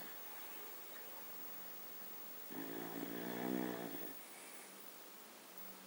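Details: A sleeping dog named Baks, said to snore like a human, gives one drawn-out rumbling snore of about a second and a half, buzzy and layered, against quiet indoor room noise.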